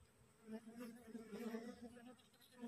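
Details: Newly swarmed honey bees, a little aggressive in the hot midday weather, cling in transit to a cassava plant. A continuous low buzzing drone swells and fades with a man talking quietly over it.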